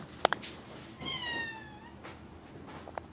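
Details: Male house cat indoors after dark, desperate to go outside. Two sharp clicks come first, then one drawn-out harmonic meow that dips slightly in pitch and lasts about a second. The room is otherwise quiet.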